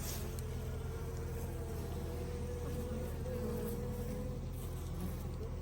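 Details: Captured swarm of honey bees, most of which stayed in the box: a continuous wavering drone over a heavy low rumble, the buzz pitch sliding slightly up and down without pause.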